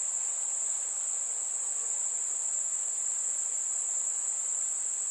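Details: Chirping crickets on a warm summer evening with fireflies: one continuous, shrill, high trill holding an even pitch and loudness throughout, against a quiet night background.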